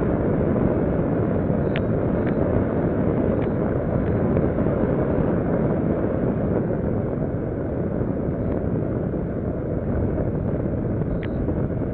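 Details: A steady, heavy low rumble like a passing vehicle or aircraft engine fills the recording, with a few faint ticks and no animal voices.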